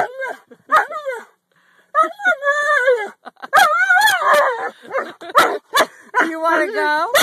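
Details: Dog 'talking' with drawn-out, wavering, howl-like yowls that bend up and down in pitch, alternating with a person's encouraging speech telling it to sit and say I love you.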